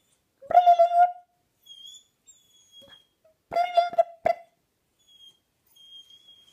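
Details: Fluffy puppy named Oscar crying in reaction to a funny noise indoors: short, nasal, tonal whimpers in two bursts about three seconds apart, with faint high electronic tones drifting between them.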